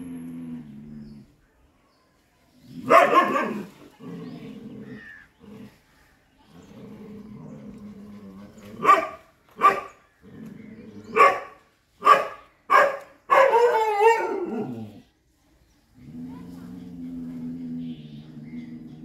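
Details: Chippiparai dog barking while fighting monkeys: loud, sharp barks in a burst around the middle, several spaced a second or less apart, over steady low droning tones and a background of voices and music.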